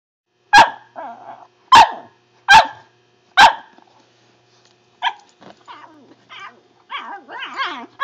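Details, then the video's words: Pet dog making weird noises: four sharp loud barks spaced about a second apart, then a run of softer yips, whines and warbling, wavering vocal sounds. "makes weird noises."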